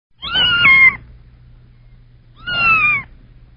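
A kitten gives two high, drawn-out meows about two seconds apart, each wavering then falling slightly at the end; a faint low hum runs underneath.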